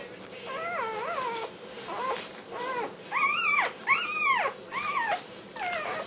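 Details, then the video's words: Young black tri Australian Shepherd puppy vocalizing as it eats dinner, a habit described as singing. Wavering, yodel-like whines rise and fall in pitch, some louder and brighter. Phrases come about one to two per second, indoors. "puppy sings for dinner"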